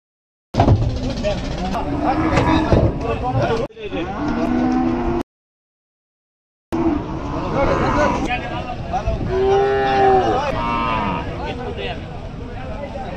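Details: Cows being unloaded at a river side moo in drawn-out, wavering lows, several overlapping. Crowded shouting and chatter dominate, with a brief gap of silence partway through.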